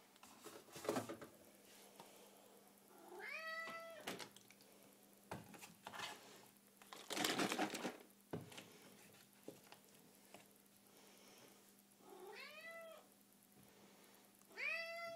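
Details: Small domestic cat hunting a carton of milk indoors, giving short rising meows at about three, twelve and fifteen seconds amid rustling, tapping and handling noises.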